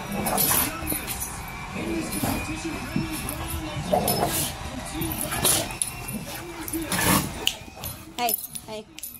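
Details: An Alaskan Malamute, together with a Pitbull, gives rising-and-falling woo-woo howls in quick, repeated arcs, interrupting a television singing show playing in the background.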